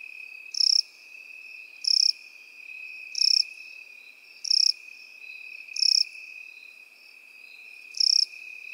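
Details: Field-grass crickets sharing the meadow with grasshoppers give six short, shrill, buzzy chirps at a fairly even pace of roughly one every 1.4 seconds, layered over an unbroken high droning tone.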